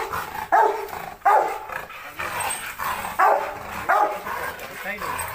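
A Rottweiler barks aggressively in sharp, forceful bursts, repeated roughly every second.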